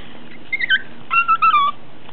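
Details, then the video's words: Pet Chihuahua vocalising in a way called talking; short whiny, tonal yowls, a few brief rising-falling notes then a longer wavering phrase, performed as a trick. "Talking Chihuahua"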